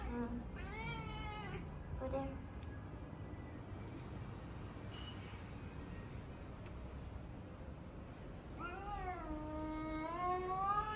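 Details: Male pet cat in fighting mode on seeing other cats, giving drawn-out, wavering meows with rising and falling pitch, two short ones early and a longer whining one near the end, amid background noise.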